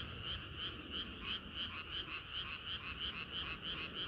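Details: Frogs chorusing on a hot summer night: a dense, steady chorus of croaks with rapid rhythmic pulses about three per second, overlapping callers forming a continuous bright trill.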